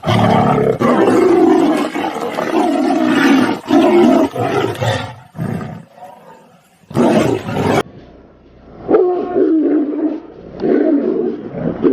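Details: Tiger; fighting roars; aggression during a fight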